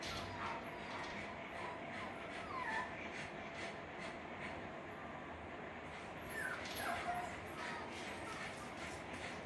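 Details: Six-week-old Parson Russell Terrier and Russell Terrier puppies, a litter of two boys and two girls plus one Parson boy, give soft, high whimpers, with thin descending whines near two and a half and six and a half seconds over a steady background hiss.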